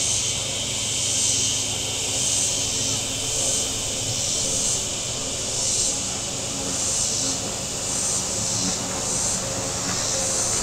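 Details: Cicadas on the shore of Table Rock Lake, southern Missouri, on a warm Saturday with boats out: a high pulsing buzz that surges about every second, mixed with rumbling, shifting engine noise from passing boats.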